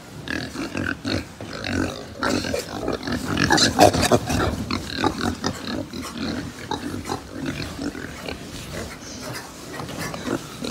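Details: Farmed pigs in Japan, rapid low grunting from several animals at once, about three sounds a second, irregular and overlapping, with brief higher squeaks.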